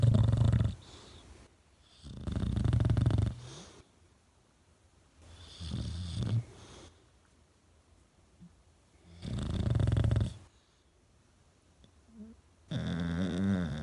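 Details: A male rescue English Bulldog snores while sleeping on his owner's cheek, deep rumbling rasps, each breath a loud throaty burst a few seconds apart.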